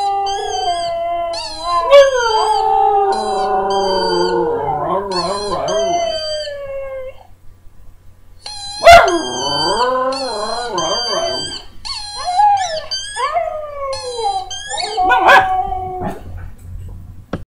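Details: Pet dog howling in response to seeing another dog and its squeak toy on screen; wavering, quavering howls that rise and fall, a brief gap midway, then broken yips and shorter howls with a few sharp clicks.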